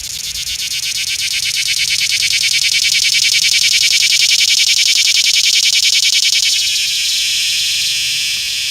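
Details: Close-range cicada calling in a small Georgia town, recorded with an iPhone 6S: an intense, high, throbbing buzz of fast regular pulses rising to full strength, then easing into a steadier, lower-intensity hum.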